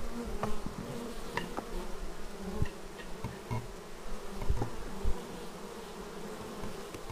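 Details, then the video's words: Bees arriving at the beehive, raw footage on a Xiaomi Yi action camera: a steady low hum of many wings with brief louder buzzes as individual bees fly close past the entrance, plus faint knocks. "Bees arriving at hive"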